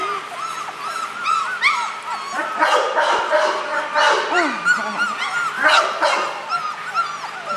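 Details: Four-week-old puppies, happy and wagging their tails, give a run of high, arching whimpers and yips, about three a second and irregular, with a woman talking softly between them indoors.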